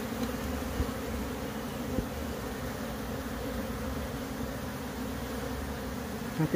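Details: Wild bee swarm from a split colony being moved into a new box, the queen placed inside as bees begin entering; a dense, steady low buzzing hum holds throughout, with faint handling knocks near the start and end.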